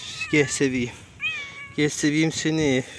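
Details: Cat sheltering at a bus stop in cold weather gives a short, clear, slightly rising meow, surrounded by a person talking softly in Turkish.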